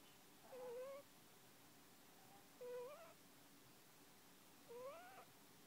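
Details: One-month-old puppy snoring while asleep: three soft, whistled squeaky breaths, each bending slightly upward, spaced about two seconds apart over a quiet indoor hiss.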